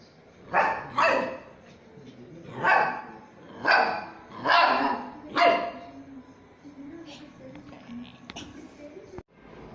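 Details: Small dogs playing and barking: six sharp, broadband yaps in two bursts over about six seconds, then quieter scuffling and a faint high squeak near the end.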